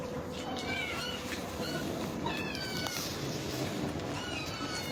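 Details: Several kittens call noisily after seeing food, giving faint, overlapping, wavering meows scattered through the clip over a steady background hiss.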